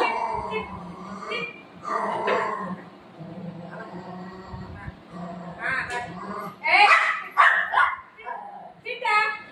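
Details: Buzo the golden retriever and Milo the shih tzu puppy fighting, with a woman's voice talking throughout and sharp, high yipping barks rising into a cluster of loud bursts near the end.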